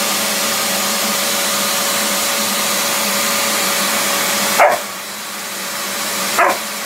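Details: Puppy reacting to a running shop vac gives two short, sharp barks about two seconds apart near the end, over the vacuum's loud, steady roaring drone.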